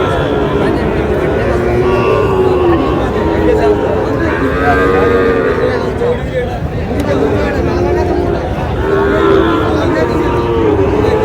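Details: Sahiwal bull calves at a cattle market in Chattogram, Bangladesh, on 2 July: low, drawn-out lowing moos rise now and then through a steady din of crowd chatter and bargaining voices.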